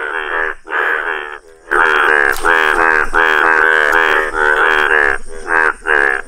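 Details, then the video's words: Yellow Indian bullfrog giving loud, rasping, nasal croaks in short bursts, first two separate notes, then a denser run of blaring pulses after a brief pause, over a thin high background hum. "Wonderful Indian Bullfrog | amazing frog sounds!"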